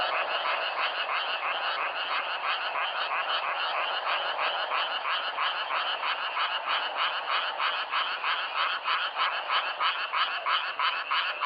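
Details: Self-recorded frogs in a dense, continuous chorus of rapid, overlapping croaks, about three pulses a second, raspy and mid-to-high pitched, forming a steady unbroken wall of sound with no other noises.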